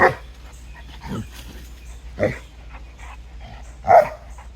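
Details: Clyde, a Boerboel mastiff puppy, plays with Lucy, a Boxer, in a creek; four short barks about one second apart, the last the loudest, over a low background hum.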